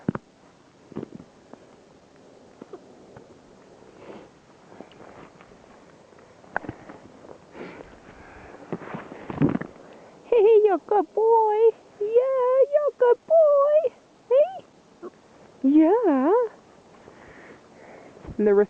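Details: Six-week-old German Shepherd puppies from one litter whine in a run of short, wavering, high-pitched cries after a stretch of sniffing and shuffling, with a man talking to them now and then.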